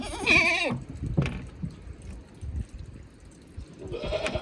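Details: Goat kid, one of two 15-day-old female sisters, one pure white and one nearly black, on a small farm in Himi, Japan, in March 2022; a loud wavering bleat at the start, then a fainter bleat near the end over shuffling and rustling.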